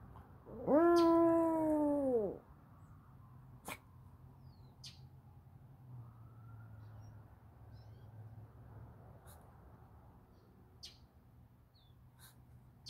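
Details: Dog howling in response to a fire truck: one loud, arched, harmonic wail lasting about one and a half seconds, followed by quiet background hum and a few faint clicks.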